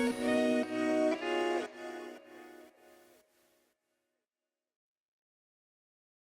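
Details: Strummed guitar music fading out into silence, with no animal sound.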